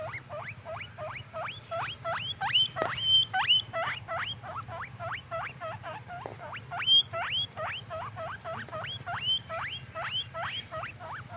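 A guinea pig squeals in rapid, high, upward-sweeping squeaks, several each second.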